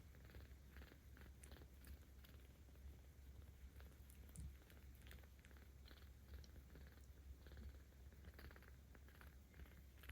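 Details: Ao-chan, a 17-day-old kitten cared for by cat volunteers in Tama City, Tokyo, filmed 10 October 2022, purrs louder while being petted: a steady low rumble running throughout, with soft rustling and scattered clicks from handling above it.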